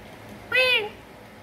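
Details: Kitten Narang, called from the master bedroom to come and eat, gives one short tonal meow, bright and harmonic, arching slightly then falling, about a third of a second long amid quiet room tone.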